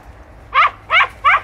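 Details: Podencos, hunting dogs working bramble thickets in Campo Arañuelo, Spain; three loud, sharp, high yelping barks in quick succession about a third of a second apart over a quiet background.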